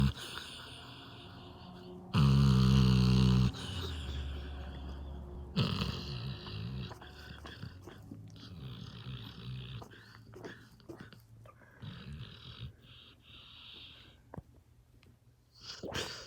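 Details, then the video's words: Rosco, a dog deep in sleep, snoring again: one loud, low, buzzy snore lasting over a second near the start, followed by quieter breathing, rustling and faint indoor noise. "Snoring dog"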